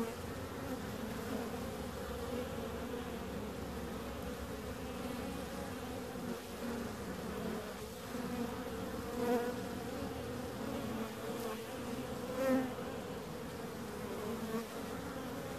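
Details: Bees buzzing in a steady, continuous drone with a strong low hum and layered harmonics, occasional louder passes swelling briefly as individual insects fly close.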